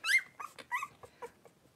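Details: Three-week-old blenheim Cavalier King Charles Spaniel puppies at play in an indoor pen, a litter of five; one sharp high yelp followed by several short, quick squeaks fading away.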